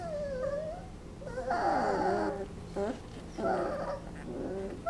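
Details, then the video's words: Napping Basset Hound puppies aged 20 days: a long wavering whine opens, then louder moaning cries that slide downward, and a further burst of squeaky whimpers, all in a small quiet room. "Basset Hound Puppies making funny noises"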